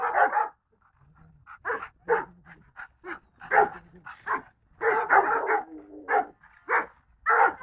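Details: Golden Retriever barking in a quick irregular series of short, sharp yaps, a dozen or so over about eight seconds, with brief gaps between bursts.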